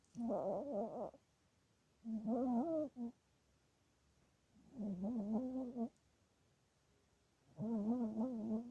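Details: Sleeping Chihuahua dreaming and snoring, giving four drawn-out wavering whimpering moans about a second long, each wobbling in pitch, separated by quiet pauses of one to two seconds indoors.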